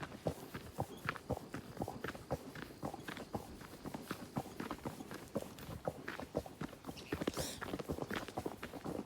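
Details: Horse carrying a rider along a nature trail, steady clip-clop of hooves on the ground, roughly two steps per second in an uneven rhythm, with creaking tack and a brief high rustle near the end.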